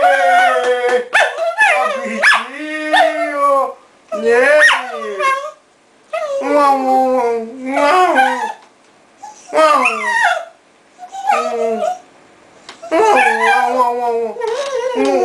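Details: Long run of chattering, moaning howls from the dog Bóris, roughly ten uneven bursts of wavering, throaty vocal sounds with brief pauses, sounding like an animated complaint.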